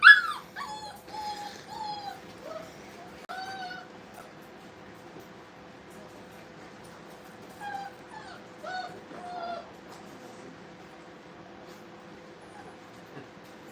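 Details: Brittany puppies playing indoors at a kennel: a loud yip at the start, then scattered soft whimpers and short whines, with long quiet stretches and a steady low hum.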